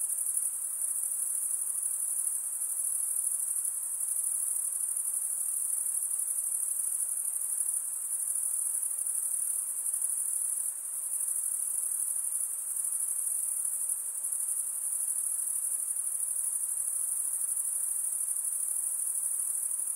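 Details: A constant, high, ringing insect drone fills the night, steady and unchanging throughout, with a low wash of faint hiss beneath it.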